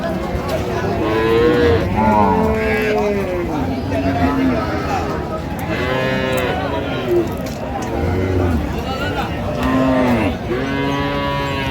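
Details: Cows with calves for sale at Raniganj market, Dinajpur, 23 October 2025; repeated deep moos about every two seconds, some short and bent, others drawn out, amid constant market chatter and background noise.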